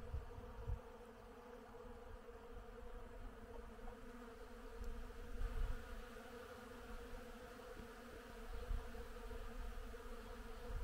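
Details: Many bees drone steadily and low while working blooming willow in spring, a rich humming with a few louder swells.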